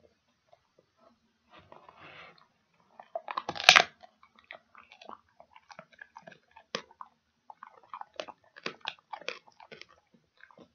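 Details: Dog chewing a pig ear indoors in a small room: scattered dry crunches and clicks, quiet at first, then a loud burst of crackling bites near the middle, followed by steady irregular crunching.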